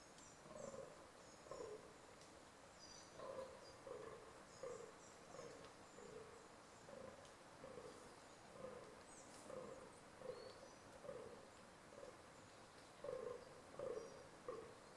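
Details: Fallow deer during the rut, groaning: deep, belching grunts repeated roughly every second in uneven bouts through the whole stretch, with faint high bird chirps and whistles above.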